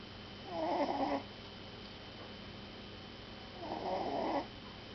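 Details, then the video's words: Puppy asleep and snoring: two rasping, faintly whistled snores roughly three seconds apart, each about three quarters of a second long, against a steady low room hum. "Pup snoring"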